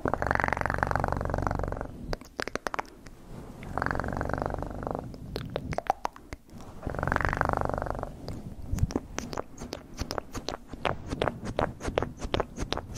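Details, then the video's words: Cat purr in three rhythmic rumbling bursts, each about two seconds long, interleaved with dense bursts of crackling clicks and taps that dominate the second half. "ASMR 1 Hour Of Best PURRING sounds in 2024"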